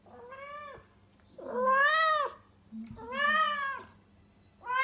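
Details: Rescued female house cat in heat, awaiting spay surgery, calling loudly indoors in Tendō, Yamagata, Japan: long, drawn-out arched meows, rising then falling, three calls about a second apart, with a low steady hum underneath.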